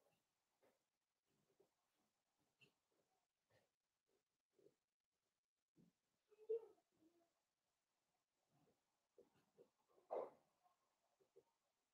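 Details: A litter of five blenheim Cavalier King Charles Spaniel puppies, born New Year's, at play with their mother in an indoor pen. Quiet snuffly grunts and squeaks repeat irregularly, broken by two louder yips.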